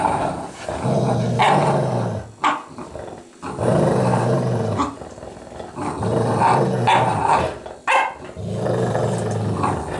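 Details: American Staffordshire Terrier and Golden Retriever in a play fight, trading deep, rumbling growls in long bouts of two to three seconds, broken by brief gaps and sharp snarling barks.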